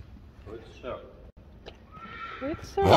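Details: Six-day-old Friesian filly playing in an arena, giving a brief high, steady whinny with faint harmonics late on, after a person speaking Dutch softly nearby; a sharp noise closes the recording.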